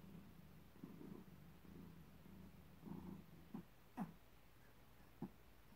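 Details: Soft pulsing purr from a cat in labour for the first three seconds, followed by a few short sharp clicks and shuffling sounds over a low hum.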